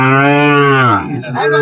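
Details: Sahiwal bull calf at a cattle market in Chattogram, Bangladesh; a loud, deep, drawn-out moo lasting about a second, steady then falling, followed by brief background chatter.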